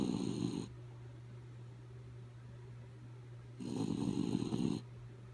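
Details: Dozing dog Kaya Boo lets out a short raspy snore, then after about three seconds a longer, louder snore lasting over a second, over a steady low mains-like hum.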